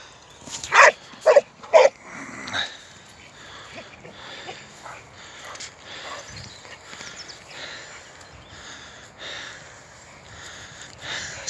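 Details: American Staffordshire Terrier playing football gives three sharp, loud barks in quick succession near the start, followed by quieter rustling and scattered background noise.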